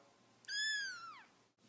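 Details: Domestic cat giving a single clear meow of nearly a second, held level, then sliding downward at the end; a person is speaking just before and after in a quiet room.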